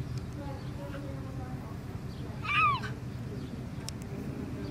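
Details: At Turpentine Creek, a female cougar rescued as a cub, now grown, gives a single high, bird-like chirp that arches up and then falls away, one of her communication sounds other than a roar.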